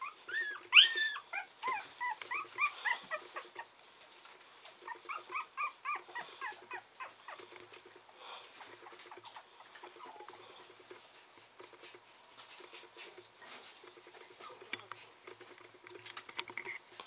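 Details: Male red Toy Poodle puppy, 28 days old, in Kochi, Japan: thin, high whimpering yelps in quick bursts at the start, a second short series a few seconds later, then faint clicks and quiet room noise.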